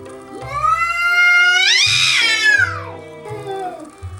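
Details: Family house cat, unimpressed, staring down a curious young bobcat on the deck through a glass door; one long, strained yowl that climbs, swells and slowly sinks over roughly three seconds, with music playing underneath.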